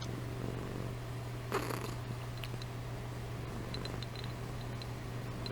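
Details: Domestic cat purring while asleep indoors; a continuous low, even rumble without breaks throughout, with a faint soft rustle partway through.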